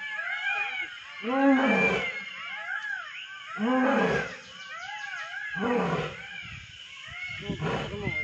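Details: Asiatic lion (Panthera leo persica) from Gir, Gujarat, India, roaring in deep, moaning bursts that swell and fade every couple of seconds.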